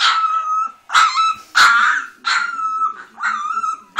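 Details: Orange female Leonberger puppy giving a series of high, yelping barks and yips, about six bursts in four seconds, each with a ringing whining tone and brief pauses between.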